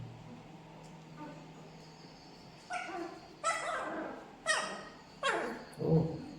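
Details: Newborn Labrador Retriever puppies, twelve days old, barking at their owner indoors: about five short, sharp yelps in a row, spaced roughly a second apart, over a low steady background hum.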